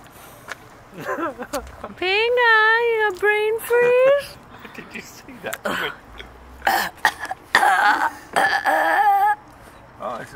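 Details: Alaskan Malamute Pinga, a 13-year-old female, vocalizing expressively for ice cream and with brain freeze. She gives drawn-out, wavering, howl-like talking notes for about two seconds, broken into short pieces. Several people talk and laugh afterward.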